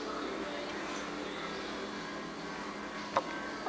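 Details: Soft music with faint voices plays in a small indoor room, with one brief click near the end; no animal sound is heard.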